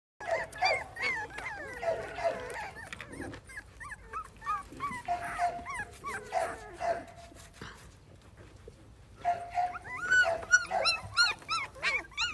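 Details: Podenco Andaluz puppies giving a busy run of high, whining whimpers and squeaky yelps, many overlapping and rising then falling, with a short quieter gap near the middle before another burst of sharper, wavering cries.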